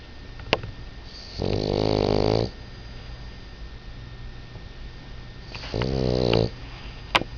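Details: Sleeping dog tired out from play, snoring twice about four seconds apart, each a buzzy, wheezing inhale of roughly a second, with faint clicks and indoor hum between.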